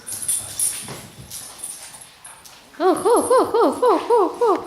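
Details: Puppies, starting with soft rustling and faint shuffling, then a fast series of about a dozen short, arched, whining yelps repeated several times a second, clear and high with bright overtones, rising then falling in each note.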